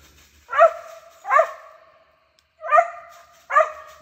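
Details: Family dogs barking at treed squirrels outdoors in north Alabama, 19 November 2023, in dry weather; four sharp, clear barks in two pairs, roughly one second apart, with quiet gaps between.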